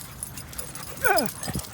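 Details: Basenji at Windmill Dog Park, out with another Basenji and dog friends including a Husky; one short, loud, harmonic whine-like cry that slides steeply downward, with soft rustling and faint movement noise around it.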